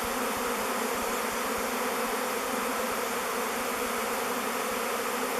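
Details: Thousands of honey bees in a swarming cluster, choosing a log hive called Bee Beard as their new home, fill the air with a dense, steady, even hum, broad and unbroken throughout.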